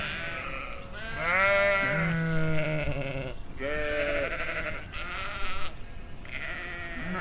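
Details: Sheep bleating in a Chiltern Hills field in summer 2025; a few drawn-out, quavering baas, one deep and one higher, each about a second long, separated by short gaps over a steady outdoor hiss.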